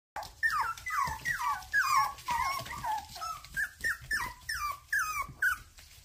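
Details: Toy poodle puppies in Mountain Home, Arkansas, giving a quick run of high, whiny whimpers, each sliding downward, about eleven in six seconds, with some overlapping, in a quiet room.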